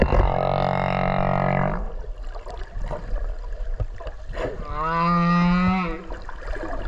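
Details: Whale recorded underwater off Okinawa while swimming alongside it: two long, deep moaning tones rich in overtones, the first held nearly two seconds, the second after a pause and wavering slightly, over steady ocean hiss and clicks.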